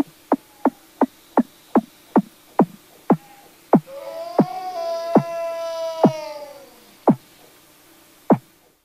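Weddell seal calling underwater: a run of sharp descending chirps, then long sliding harmonic whistles.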